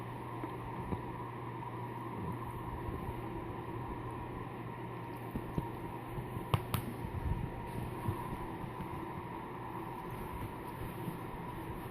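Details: A steady low hum like a fan or engine fills the room, with a few faint clicks and soft knocks and no animal voice.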